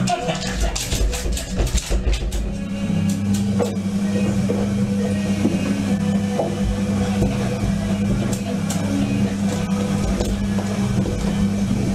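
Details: Music plays throughout with a steady low hum and some speech in a small room; no animal sounds.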